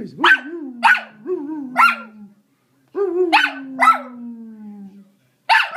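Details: A ten-month-old puppy that dislikes the Hoover vacuum cleaner barks at it: loud, sharp barks in quick groups of two or three, separated by brief pauses, over a steady falling whine.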